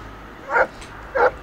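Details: Irish Setter at play in a wintry river, giving two short, hoarse barks about half a second apart over a faint background hiss.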